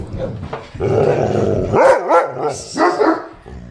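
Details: A poodle, unhappy that a Great Dane and a St. Bernard are playing, gives a run of high, whiny barks and wavering yelps while a person calmly tells it to calm down, with faint music.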